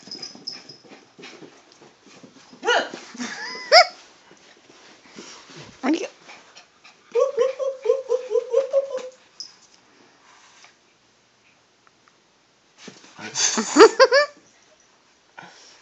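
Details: Shiba Inu playing with a kitten at home, giving bursts of whiny, yodel-like grumbles and rapid pulsed growl-whines in short clusters separated by quiet stretches, with a person speaking softly nearby.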